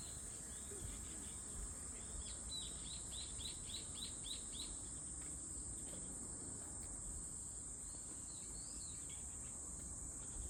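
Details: Cicada singing a steady, unbroken high-pitched drone that runs the whole length, while a quick series of short rising chirps rings out in the middle and faint low rumble sits underneath.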